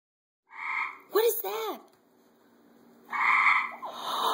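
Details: Loud tree frog giving nasal, buzzy honking calls about half a second long, two heard with a gap between them, plus a short pair of rising-falling chirps in the middle.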